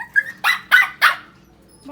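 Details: Shih Tzu puppy giving a soft high whine followed by three quick, sharp barks in close succession, then quiet.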